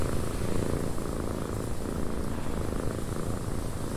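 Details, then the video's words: House cat purring inside a windy cabin, a flat, low, droning rumble with an even level throughout and a wash of wind hiss behind it. "Cat Purring in a Windy Cabin 8 Hours of Blissful Purring"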